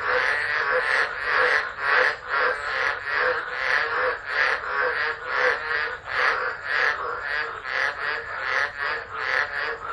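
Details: Many frogs calling during a tropical low in Driver, Northern Territory, Australia, December, recorded on a phone left alone. Harsh, buzzy croaks pour out in overlapping waves, nearly continuous, with a faint high hum behind.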